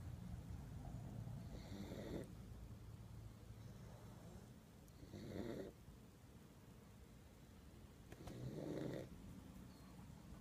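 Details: Lucy, a pug dog, drifting off and unable to stay awake, gives soft raspy snores in slow bursts about every three seconds, each a brief breathy rasp over a low steady rumble in a quiet room.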